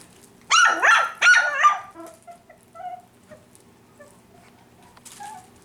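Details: Five-week-old F1b Cavapoo puppies from Honey's litter at a licensed commercial kennel in Carthage, Missouri: two loud, high, harmonic yelps in quick succession, then quiet scattered whimpers and faint soft squeaks fading into a hushed room.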